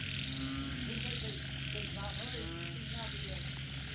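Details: After rain at night, frogs give overlapping nasal croaks and rapid pulsed rattles in quick succession, set against an unbroken shrill buzzing chorus and a low steady hum.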